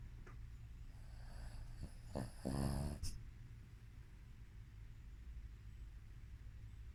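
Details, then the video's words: Shih Tzu in deep sleep, snoring: a soft low steady breathing drone with one louder rasping, pulsed snore burst lasting about a second near the middle, then quiet low breathing again. "Shih Tzu.. Roncando (Snoring)"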